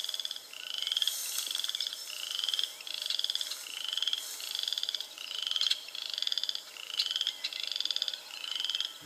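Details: Boreal chorus frogs (Pseudacris maculata) give short, rising, pulsed trills, like a finger run along a comb, about every second.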